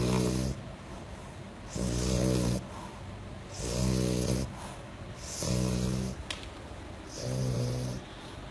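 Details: Deep pig-like snoring from a sleeping French Bulldog: five regular rattling rumbles roughly every one and a half seconds, low and buzzy with breathy hiss on each inhale.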